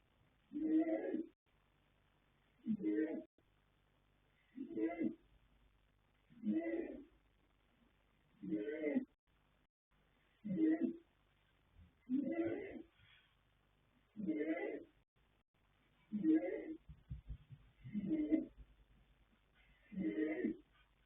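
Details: Asleep and snoring, the colt foal Yanta, born 21 January 2026 to Fast Force and Pink Blossom, gives eleven steady, rasping breaths about every two seconds, an even rhythm of hoarse snores over quiet background.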